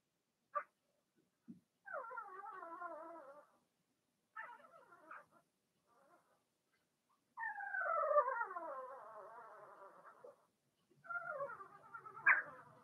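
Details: Cavalier King Charles Spaniel puppies, from Remy's first litter of six Blenheim pups, in an indoor puppy pen during potty training: a few short yelps, then long, wavering, descending whines in drawn-out bursts of one to three seconds, separated by pauses.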